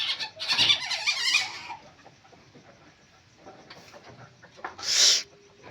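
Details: Palm civet (musang) calling: a harsh, noisy screech lasting over a second, then near quiet, then one short, loud hissing burst.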